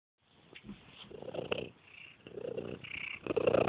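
A monkey gives a low, rumbling purr in soft pulsing bursts.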